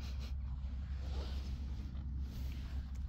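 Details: Continuous low wind or engine rumble dominates, heavy in the bass and unbroken, with no animal call.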